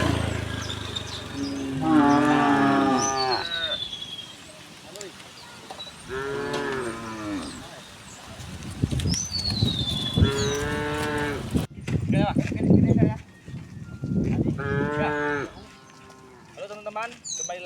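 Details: Tame cows in a herd of dozens walking happily along a quiet rural road, mooing repeatedly: about five drawn-out, wavering lowing calls spaced a few seconds apart, with light rustling and faint bird whistles between them.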